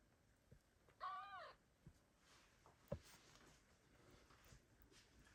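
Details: Kittens left by their mother cat call for her in 2022; one short, high, wavering kitten meow with bright harmonics, followed by soft clicks and quiet rustling.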